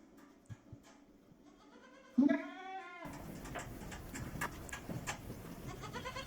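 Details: Female goat in heat, restless and bleating while trying to get outside to the buck; one rising, harmonic bleat about a second long, followed by broad rustling and handling noise.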